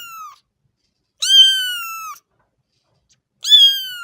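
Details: Kitten giving loud, drawn-out meows that start high and sag slightly at the end, two full calls about two seconds apart after the tail of an earlier one.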